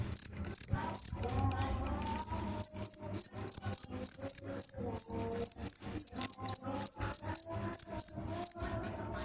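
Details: Cricket chirping steadily: short, high, shrill pulses repeated about twice a second, with a brief gap early on before the rhythm resumes; faint low tones hum underneath.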